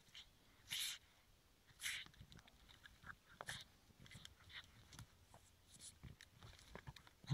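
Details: A Boston terrier gives short, breathy snorts and wheezes, spaced a second or two apart, seemingly directed at plants.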